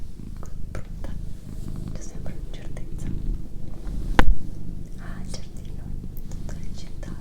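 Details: Doroti, a female domestic cat, purrs in a low rumbling drone beneath close, breathy whispering, with soft clicks and one sharp tap midway.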